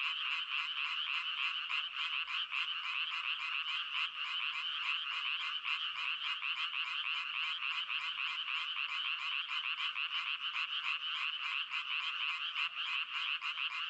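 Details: Dense frog calling, a rapid ratchet-like pulsing repeated without pause, many callers blending into one bright, steady chorus.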